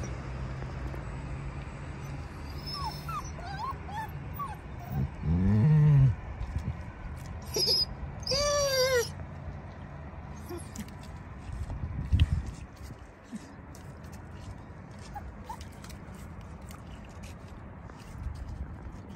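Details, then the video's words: Stressed puppy separated from its worried mother at a garden; a few drawn-out wavering whimpers and yelps in the middle seconds, then quieter, with low rumbling background noise. "Poor puppy and her mother"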